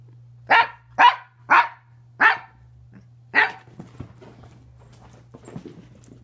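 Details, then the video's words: Dog making funny noises: five sharp, loud barks roughly half a second apart, the last after a short pause, then faint scattered rustles over a steady low hum. "Dogs sure do make funny noises!!"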